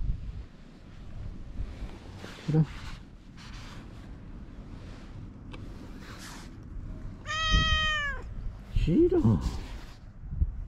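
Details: Stray cats quarrelling in spring by tetrapods, a white cat named Shiro facing an orange tabby. One long, loud, drawn-out meow with a falling end, then a shorter, lower cry. A person talks softly throughout, repeating the cat's name.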